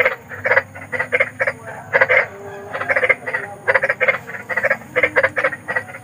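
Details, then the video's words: Night chorus of big frogs outdoors: loud, rough, clipped croaks in quick clusters from several animals, close and clear with little background noise. "SUARA KODOK || KODOK BESAR || SUARA KODOK SERAM"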